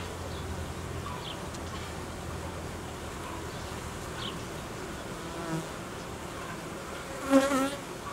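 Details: Hive of honey bees, a colony that reared queen cells, worked on as temperatures fall; a soft continuous buzz runs underneath, with faint scattered higher notes and a brief louder whistled sound near the end.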